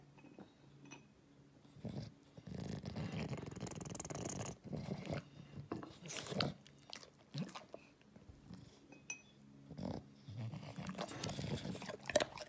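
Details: English Bulldog eating: irregular crunchy, clicking chewing bursts come in clusters through the clip against quiet indoor background, with brief pauses between bites.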